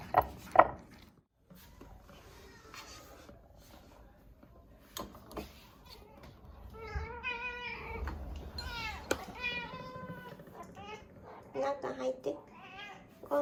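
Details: Female domestic cat meowing repeatedly at mealtime in a home: a few drawn-out, harmonic meows that rise and then fall, clustered mid-clip, while a person talks softly offering food, with light handling clicks and room noise.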